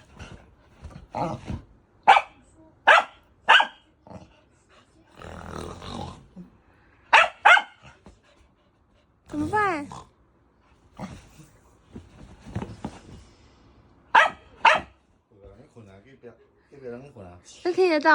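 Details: Native dog barking at snoring it dislikes: scattered sharp barks in short bursts, mixed with human speech, breathy snore-like noises and a wavering high whine near the end.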